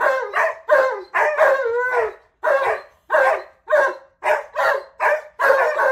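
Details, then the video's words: Alaskan Malamute talkative in the morning, vocalising back at his owner imitating him, a second dog joining: a run of short, wavering, yodel-like vocal bursts about every half second, with a brief pause midway. "Malamute Won't Stop TALKING!"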